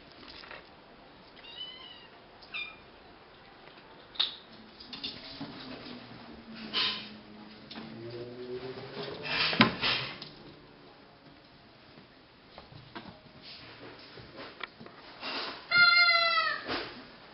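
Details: Nine-week-old Cashmere and Bengal kittens, filmed in 2012, meowing indoors: two short high mews early on, a low drawn-out wavering cry in the middle, then a loud, shrill harmonic meow near the end, with rustling and knocks between calls.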